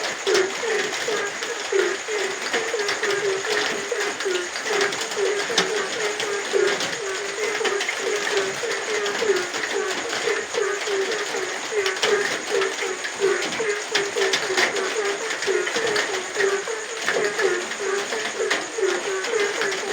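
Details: Frogs calling at night during rain: short, low notes repeated steadily several times a second, forming a continuous chorus under the broad hiss of falling rain.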